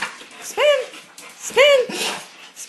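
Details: Indoors with Gia the cane corso and Deuce the bullmastiff, trained to bark on command: one dog gives two loud, clear, harmonic barks that rise then fall, about a second apart, while a person keeps repeating "spin".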